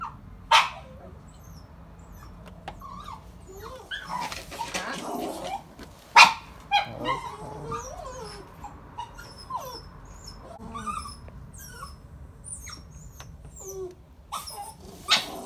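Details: Two slightly insecure, over-excited Border Terriers give a few sharp barks among high, wavering whines and whimpers as visitors come into the house.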